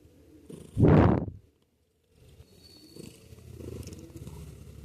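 A domestic cat gives a loud, breathy snort, then a low, rumbling, pulsing purr-like snore.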